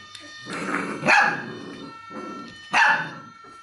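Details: Dog from the Golden C-litter, training with acoustic and optical stimuli, gives two short, harsh barks about 1.7 seconds apart over a steady high electronic tone and soft rustling.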